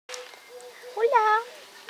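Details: Rescued cat awaiting adoption with an animal association, giving one clear harmonic meow that rises then falls, about half a second long, over a low steady hum and faint background sounds.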